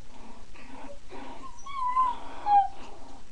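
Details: Five female Miniature Pinscher puppies, born 19 December 2009, playing indoors as they begin to find their voices: thin, high whines slide and waver, then a couple of squeaky whimpers follow, over a soft, steady, pulsing background.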